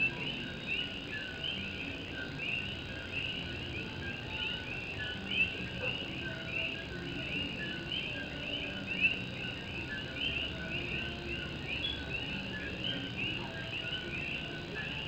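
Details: On a rainy night in Morovis, Puerto Rico, a dense chorus of Puerto Rican coqui frogs gives rapid, repeated rising chirps with no pause, a couple of closer calls ringing louder, against continuous rain pattering on a tin roof.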